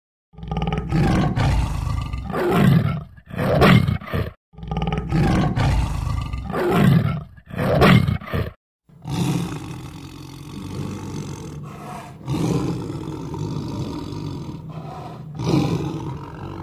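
Deep, throaty roars from a tiger come in a rough series, each burst rising and falling over about a second. A lower, continuous rumbling growl follows in the second half.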